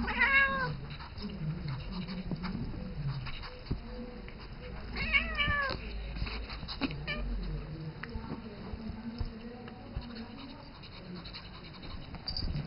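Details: Seven-year-old house cat Isis calling to Rambo, a young ferret she mothers and grooms; a bright meow opens, a second arched meow follows about five seconds later, with soft indoor scuffling and play noises between.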